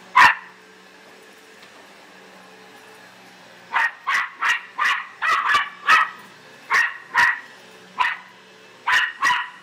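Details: Pet Australian silky terrier indoors, barking wildly at a vacuum cleaner: one sharp high bark, a pause, then a rapid run of about a dozen yappy barks in twos and threes over a faint steady hum.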